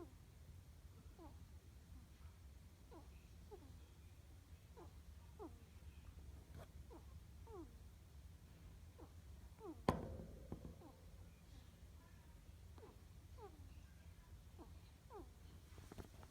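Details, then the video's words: Ferret named Wednesday snoring while asleep: faint, squeaky nasal whistles that slide downward, repeating about every half second over a steady low hum, with one sharp click near the middle. "Ferret Snores"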